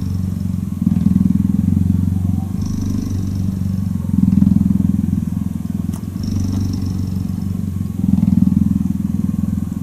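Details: Cheetah purring while cuddling: a deep, steady rumbling purr that swells and eases in alternating phases roughly every two seconds as the cat breathes in and out, with faint higher hiss at times.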